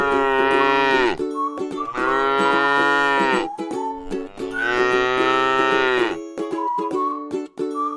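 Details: Tame cow resting in a beautiful rice field gives three long drawn-out moos, each about a second and a half, over steady plucked string music.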